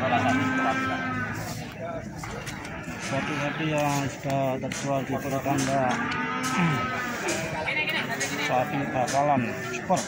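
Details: Several lowing moos, some deep and others higher and wavering, follow one another from store cattle being sold at Plaosan market, Magetan. Voices and general market din run throughout.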